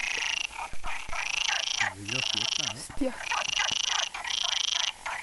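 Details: Many frogs calling together in a stream: dense, buzzy high trills run in long unbroken bursts with short gaps between them. A brief low, wavering sound rises and falls near the middle.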